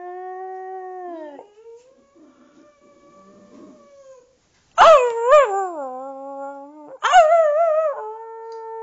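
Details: Female Boxer howling at home alongside her owner, who discovered she could howl too; a level held tone, a pause, then two loud wavering howls with bending, yodelling pitch, the second starting near seven seconds.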